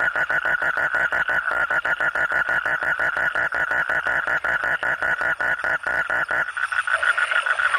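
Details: Frogs croaking at night, a fast steady train of pulsed croaks about six per second, forming a dense continuous chorus that shifts abruptly near the end.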